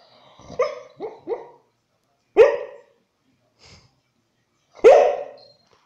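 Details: American Staffordshire Terrier barking indoors: a quick burst of three sharp barks, then two single louder barks spaced about two seconds apart, with quiet gaps between.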